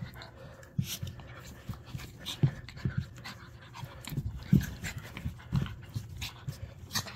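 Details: Dogs Winnie and Abrams, walked by a dog walker, heard in rapid, soft, breathy panting. Low thumps and rustles recur throughout, with light scuffing and brief noises higher up.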